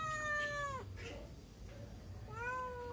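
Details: Begging for food, a cat passing beside a house gives a clear, steady meow that drops at the end, a pause, then a second, rising-and-level meow.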